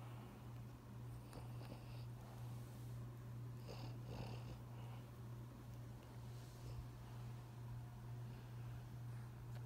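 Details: Bengal cat. A Bengal cat gives a continuous low purr, a throbbing hum that rises and falls with each breath. A few short, soft sounds break through now and then, but no clear meows stand out.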